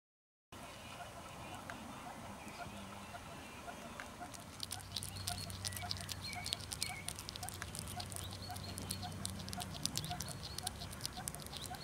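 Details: Hungry hedgehog just out of winter hibernation, eating meat and making odd smacking sounds: quiet start, then from about four seconds a dense, irregular run of sharp wet clicks and lip-smacks over a steady low hum.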